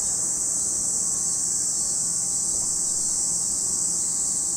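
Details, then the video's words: Steady shrill whine of cicadas by Lake Kamo in Sado City, Niigata Prefecture, Japan, a continuous high insect drone without breaks or changes in level. "Lake Kamo in Sado City, Niigata Prefecture, Japan, where you can hear the voice of cicadas."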